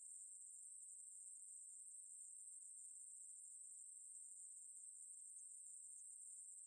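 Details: Continuous shrill buzzing of a Ruspolia katydid, 2020 National Institute of Biological Resources recording; a dense, level, very high drone with faint flickers but no pauses, alone against silence.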